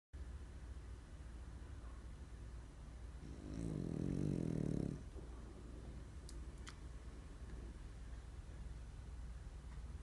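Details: French bulldog snoring while sleeping deeply enough to roll over; a single low, rough, rasping snore lasting about two seconds in the middle, with quiet room hiss and a couple of faint clicks before and after.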